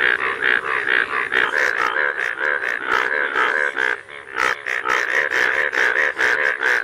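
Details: Rain frogs in fields during rain, said to be crying for joy at the rain: loud, nasal, squeaky cries in a rapid, almost unbroken run.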